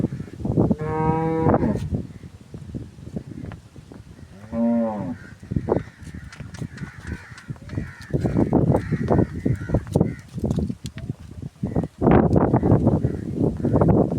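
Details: Nukri cow with a pink nose: two short harmonic moos early on, then a stretch of many close clicks and knocks.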